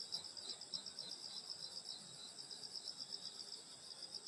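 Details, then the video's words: Night-time insects on a rural summer evening at a grandmother's home, chirping in quick pulses about four per second against a steady shrill high trill, with no other distinct sounds. "여름소리 풀벌레소리 시골밤소리"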